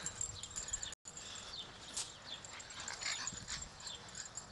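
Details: Pekingese puppies playing in a front yard: thin, high-pitched yips and whimpers at irregular moments over soft outdoor background, with a brief silent gap early on.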